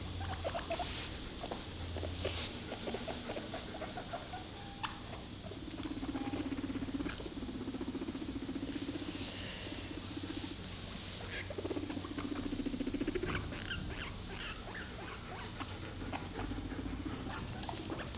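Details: Several pet guinea pigs in a small homemade fort with an edible snack shack, eating snacks: steady rustling and crunchy chewing patter with a few brief squeaks, over a low constant hum.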